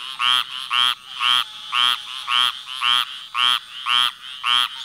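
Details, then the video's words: Frog croaking in a steady series of rich, harmonic, nasal croaks, each about a quarter second long, repeated roughly twice per second with short quiet gaps; no other clear sounds. "Frog sounds"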